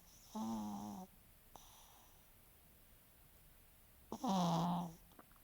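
A French Bulldog snores in two long, raspy breaths with a rattling, harmonic drone.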